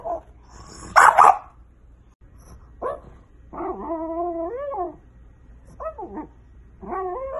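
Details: French Bulldog puppies: one loud, harsh bark, then a run of long, nasal whines that rise and fall, followed by shorter whimpering cries.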